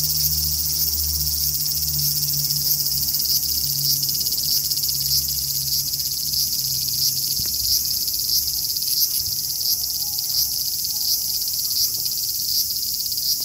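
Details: Large brown cicada (aburazemi) singing in summer in Japan: an unbroken, dense, sizzling high-pitched buzz that holds steady for the whole stretch without pauses, with a faint low hum underneath during the first half.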